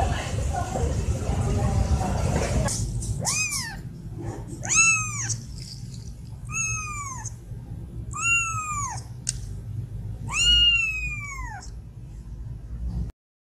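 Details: Domestic cat woken with food held to its nose, meowing because it wants food or attention: a series of about five clear, arching meows spaced roughly two seconds apart, each rising then falling, after an opening burst of rustling noise.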